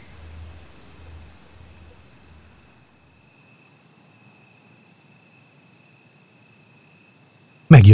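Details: Bats arriving after dark around an old oak, picked up by ultrasound detectors hung in the tree; a fast, even train of high clicking pulses with a short gap near the end, faint low thumps at first, and a sudden loud burst closing.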